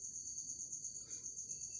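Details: An insect trapped inside a bottle at home, giving a continuous, very high, steady ringing trill with a slight pulsing throughout, over a low background rumble.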